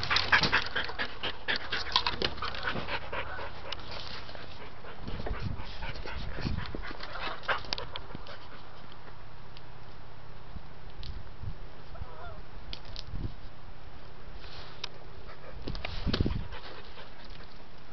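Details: Unable to reach his toy, the pet dog Dante breathes in rapid, raspy pants that are strongest at first and then fade softer, with occasional louder huffs and a person's coaxing words nearby.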